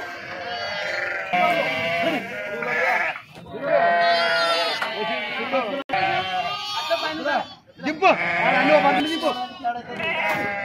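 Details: Sheep unloaded at Pattikonda market in Kurnool district, Andhra Pradesh, India, jumping down; several quavering bleats overlap in bursts, separated by brief pauses, with sharp knocks and clatter between them.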